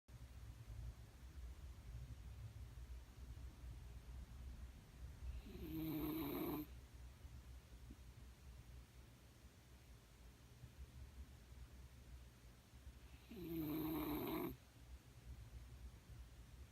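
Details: Sleeping Shiba Inu snoring very loudly, two long rasping snores about eight seconds apart, each a rough band lasting roughly a second, over steady low breathing and faint room hum.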